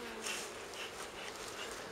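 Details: Honey bees of a wild colony being transferred from a forest nest into a hive near Kiev, Ukraine; continuous buzzing swarm hum with brief louder passes of individual bees close by.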